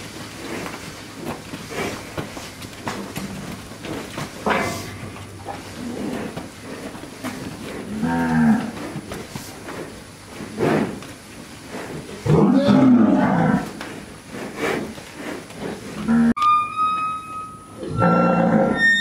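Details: Brahman cattle herd being penned and worked on a ranch; repeated deep bellowing moos from several animals, some long and wavering, with clanking and rattling of gates or equipment toward the end.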